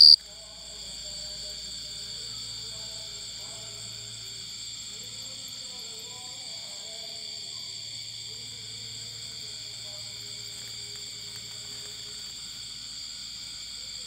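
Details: Cricket singing loud and clear, a steady high-pitched trill of rapid pulses held without a break, with faint murmuring voices and a low hum far beneath it.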